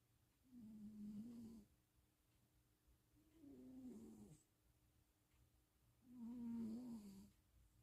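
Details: Stevie, a cat dozing during a cat-sitting visit in Austin, Texas, 2026.04.07, snores three times, each a humming, wavering breath lasting about a second, spaced near three seconds apart, with only faint room noise between.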